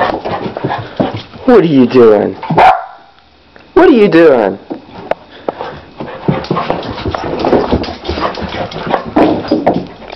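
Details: Four-month-old Labrador and Pit Bull mix puppy at play, giving loud, tonal yelping barks that sweep up and down in two bursts separated by a short pause, with a person talking over and between them.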